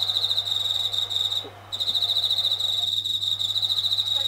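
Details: Indoors at night, a Japanese katydid sits near a kitchen ceiling, singing more loudly when the tap runs. A continuous high buzz breaks off briefly and resumes, over a low steady electrical-like hum.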